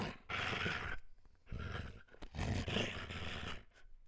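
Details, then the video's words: German Shepherd dog producing deep, rumbling growls and grunts in three long drawn-out bursts, throaty and low with a harsh upper edge. "GERMAN SHEPHERD Sounds for Kids - Barking, Howling, Breathing Sounds of German Shepherd Dogs"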